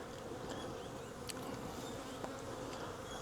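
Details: Soft, constant buzzing of a wild honey bee swarm captured from a hanging cluster on a branch, a faint unbroken hum under light background hiss.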